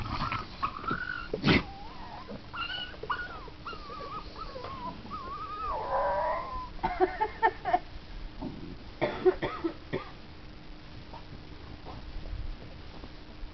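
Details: Seven-week-old Staffordshire Bull Terrier puppies give thin, wavering howls and whimpers amid knocks and clatter; one howled almost like a pig while fumbling around the edge.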